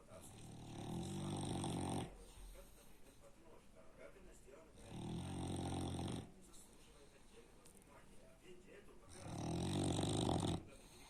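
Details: A French Bulldog snores heavily. Three deep, rasping, buzzing snores, each about one and a half to two seconds long, recur roughly every four seconds, with soft hissy breaths between them.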